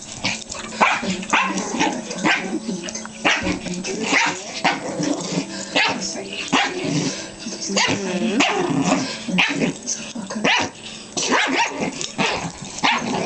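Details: Two pet dogs, a Pomeranian Chihuahua mix and a Jack Russell Terrier, play roughly on a bed; dense bursts of yips, growls and barks overlap continuously with scuffling, the noise rising and falling in quick broadband pulses.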